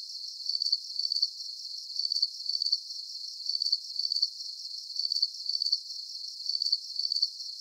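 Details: Shrill cricket chirps repeat in paired and tripled bursts at a fairly even pace, a high insect trill over a steady background whir, with no other noise.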